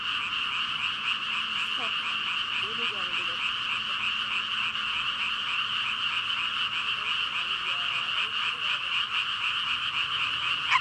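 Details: Massed frog chorus of roughly 5,000 animals: steady, dense high croaking with a few faint lower warbling notes rising and falling beneath it near the start and end.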